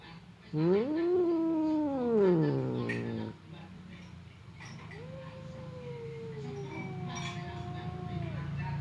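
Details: Two pet cats, fierce Temon and quiet Lelo, trade threats before a fight that a dividing partition prevents: a loud wavering yowl rises and falls over three seconds, then a quieter drawn-out moan over steady low background hum.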